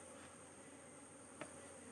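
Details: Steady massed buzzing of honey bees at a hive during queen cell handling, a dense low hum with one short sharp click midway.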